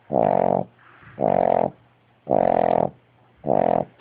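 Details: Sleeping dog with eyes open gives four heavy, rasping snores over four seconds. Each is a buzzing drone lasting about half a second, with quiet breaths and a faint low hum between them.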